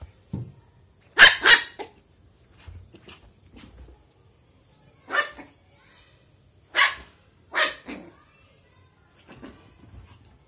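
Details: Happy on a bed, 45-day-old Lhasa Apso puppy Mickey lets out high, sharp barks, a quick double yap first, then single and paired yips spaced a second or two apart, with faint rustling between them indoors.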